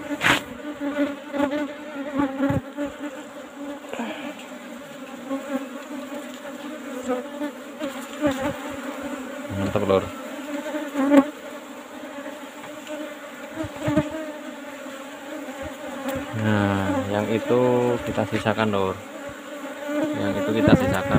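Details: Asian honey bees (Apis cerana) swarming around an old box hive during a honey harvest: a sustained, slightly wavering droning hum with clicks, handling noise and a brief human voice.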